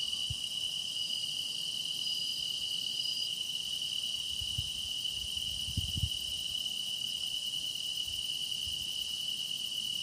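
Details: Grass insect song forms a seamless wall of sound, a bright sustained whine holding steady while higher buzzing trills rise and fade, plus a few dull low thumps near the middle.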